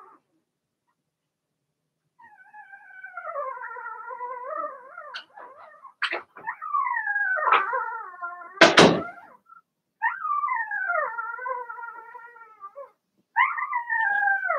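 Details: Young Cavalier King Charles Spaniel puppies, six Blenheims born March 7–8, in an indoor puppy pen: long, loud, wavering whines that rise and fall in pitch, broken by sharp knocks and a thump.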